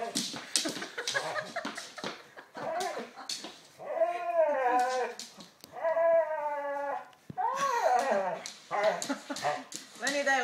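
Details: Lenny, an 11-month-old Labrador Retriever, playing with a new ball and told to speak: high, drawn-out whines that arch up and down, several in a row, between short yips, with a person's voice coaxing for the ball.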